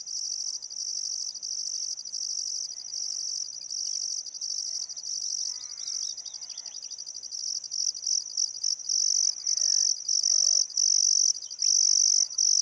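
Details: Crickets chirping on a still summer afternoon at sunset by the Barcoo River, Welford National Park, Outback Queensland, Australia: a dense, high-pitched continuous trill broken by brief gaps, with faint bird calls underneath.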